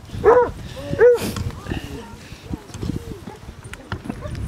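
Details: Two sharp, resonant barks in quick succession open this recording from a Basset Hound pack walk of 16 hounds on Marlborough Downs, North Wiltshire, on a bright 4 December 2016, followed by fainter yelps and people chatting.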